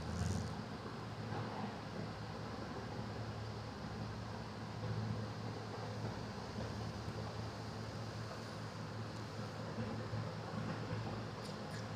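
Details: A continuous low rumble like distant traffic or an engine runs through a quiet morning indoors, with no animal sound.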